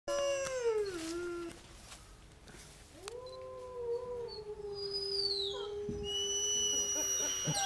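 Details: A gray wolf (Canis lupus) howls in long, smooth tones, first sliding downward, then rising and holding steady.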